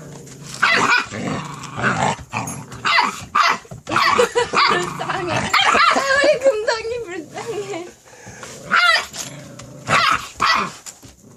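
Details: A white Korean Jindo female puppy in the countryside gives sharp little barks and a wavering, whiny growl while people talk nearby.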